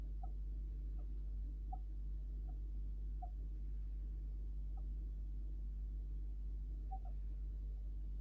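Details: Soft, regular peeping from a pet Djungarian hamster, noises called sleep talk or snoring, spaced under a second apart, pausing briefly before resuming, with a low room hum throughout.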